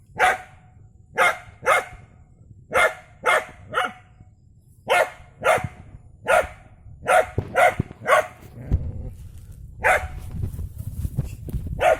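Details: Dog barking while fighting a rat snake: sharp, loud barks in irregular bursts, about fifteen over twelve seconds, some in quick pairs, with a steady low rumble underneath.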